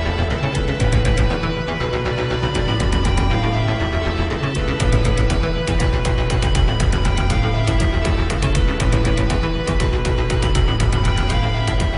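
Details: Dramatic orchestral soundtrack music with pulsing percussion, and no animal sound.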